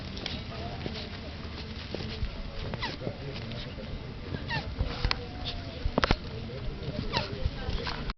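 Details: Turtles mating in a garden in the morning; short squeaky descending notes recur about once a second over a background of clicks and knocks, with faint rustling throughout.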